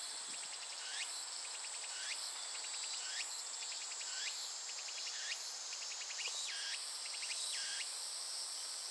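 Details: Japanese cicada singing: repeated buzzy pulse trains ending in hooked upward sweeps, about once a second, over a dense constant high hiss of other insects.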